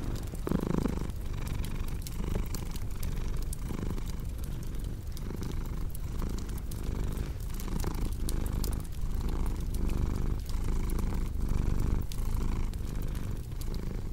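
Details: Continuous low purring from a pet cat, pulsing gently with inhale and exhale about every second, set against the crisp crackling and popping of a wood fire throughout.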